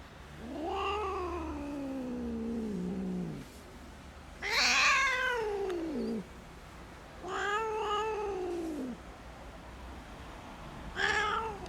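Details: Rescued stray kitten that survived two days abandoned in -11°C snow without food or shelter, crying in four long, wavering meows, some harsh and strained, separated by short pauses.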